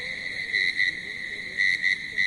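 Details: A chorus of countless crickets in grass at about 10:20 pm gives a continuous, high, ringing trill that pulses louder in bursts; the sound comes not from mouth or throat but from rubbing their wings together.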